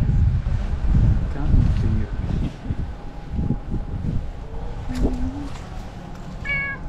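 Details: Irritated domestic cat, disturbed by a dog running around it that wants to play, gives short meows over low rumbling outdoor noise. A woman talks nearby, and a brief high harmonic cry comes near the end.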